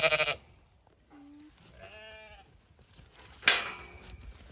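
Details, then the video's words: Sheep in a large ewe flock on an Irish farm in County Kilkenny, around winter feeding with hay: a brief bleat, soft distant calls, then a sudden harsh bleat. "A walk amongst the ewe flock & feeding time for large flock"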